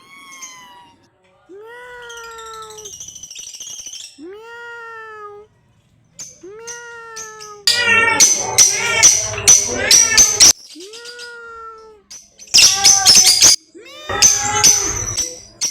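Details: Cat meows, a series of clear rising-then-falling calls about a second long with pauses between, then louder, harsher, overlapping meows broken by noisy bursts toward the end.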